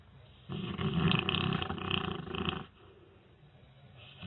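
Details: Snoring from a sleeping dog, a rough rattling snore of about two seconds made of fast fluttering pulses, rising and falling in loudness before fading into soft breathing.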